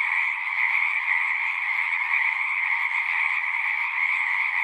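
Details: Pond frogs in a horse pasture, captured with a Zoom 6, keep up a continuous massed chorus of overlapping trills, a bright upper band over a softer lower one, steady in loudness throughout.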